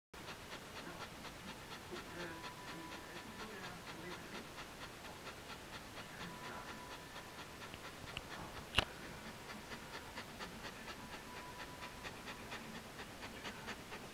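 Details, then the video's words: Border Collie panting after a long walk alongside a bike: a steady run of soft, breathy rhythmic puffs, quick and even throughout, with a faint steady hum in the background and one sharp click near the middle. "Border Collie panting"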